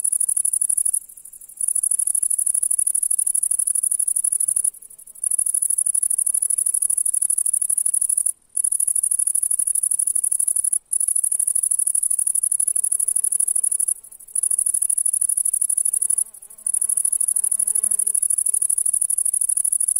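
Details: A grasshopper in the grass of a summer meadow on a July day sings a high, hissing, nearly continuous buzz, broken by a few brief pauses.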